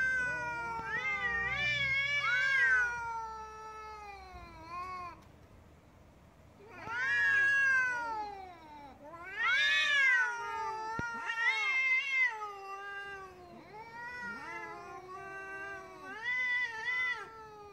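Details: Angry adult domestic cats squabbling, meows signalling a cat preparing to attack: a series of drawn-out, wavering yowls with rich harmonics, rising and falling, in several loud bursts separated by brief quieter gaps.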